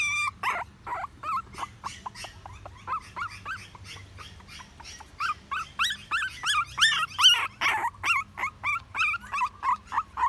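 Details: Young dog crying in high, nasal whimpers. Short yelps come first, then a pause, then a rapid series of bending whines at about three per second, over a soft low droning background.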